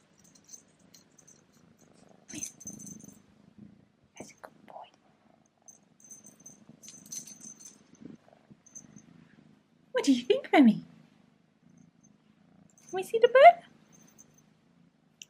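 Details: Remi, a domestic kitten, fitted with his first collar carrying a bow and a bell, purrs indoors: a soft, steady low rumble running through most of the stretch, with small bell jingles and a woman's voice speaking twice.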